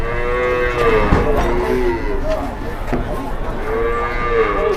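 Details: Big cattle being loaded and pushed by three people, giving a moo at the start and another long arching moo near the end, with thumps, engine rumble and people's talk.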